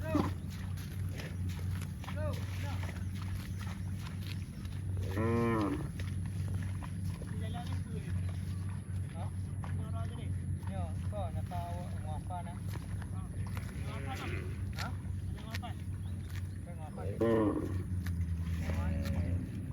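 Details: Cows mooing on a farm: a long harmonic low moo around five seconds and another near seventeen seconds, with fainter lowing between, over a steady low rumble of background noise.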